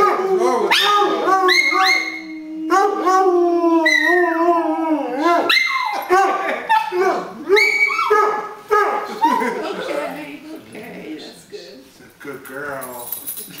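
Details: Two pet dogs howl together: a steady sustained howl and bending yowls early on, breaking into whimpers and short yips, while a person speaks in the background near the end.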